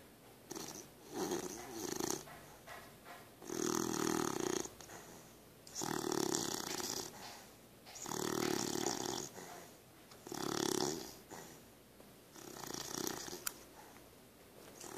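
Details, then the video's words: Pooka, a sleeping puppy, snores indoors: broad, raspy breathy bursts swelling and fading about every two to two and a half seconds, six or so in a row, each loud and hoarse with quiet gaps between. "My puppy snoring"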